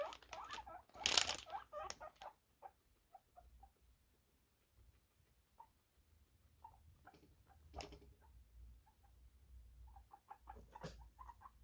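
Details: Guinea pigs reacting to the rustle of a plastic bag: a loud crinkling burst at the start, then short, mid-pitched squeaks and chirps scattered irregularly through the quiet room, some in quick pairs.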